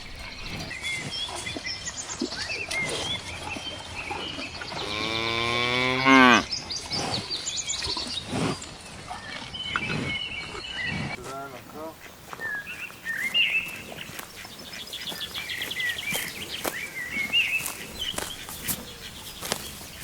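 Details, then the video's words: Grazing cow in a green countryside pasture lets out a strong, wavering moo lasting about a second and a half, followed later by a fainter short low call, while small birds chirp and twitter steadily throughout. "Cow sound"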